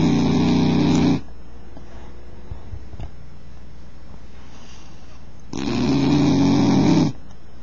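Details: Bull Terrier (Canis familiaris), snoring.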